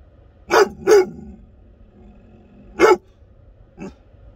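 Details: American Akita giving loud, deep barks: a quick pair of sharp barks, a single bark about two seconds later, then a softer short woof at the end.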